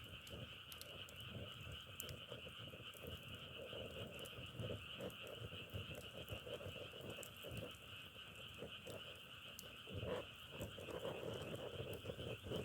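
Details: Frogs call in a steady high chorus while lower croaks pulse through it, growing louder toward the end, over background rumble.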